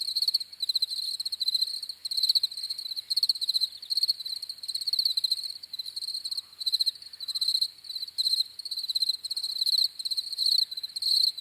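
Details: Persistent high cricket chirping, dense pulsed trills running almost without pause and swelling slightly in loudness, a lone insect chorus with no other sounds present.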